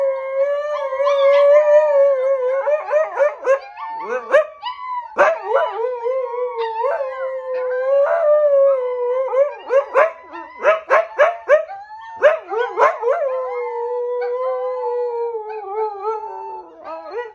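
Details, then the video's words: A mother Siberian Husky howls steadily while teaching her puppies to howl, mixed with their wavering, breaking yips and higher voices. "Momma Husky Teaches Her Puppies to Howl"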